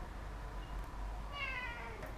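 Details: House cat sitting on a table indoors, a single falling meow near the end after a stretch of quiet room hum.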